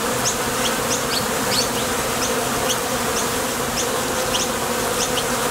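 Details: Busy honey bee traffic at the entrance of a Top Bar Hive, foragers taking off and landing; an even, dense buzz overlaid with scattered quick high-pitched whirs of passing wings.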